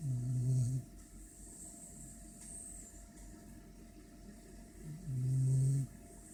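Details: A French Bulldog snores after eating and a shower, with deep, rumbling breaths that come in long rattling bursts.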